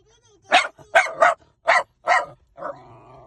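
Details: Dog or puppy barking in a fast burst of five yappy barks, followed by a drawn-out whiny yelp at the end.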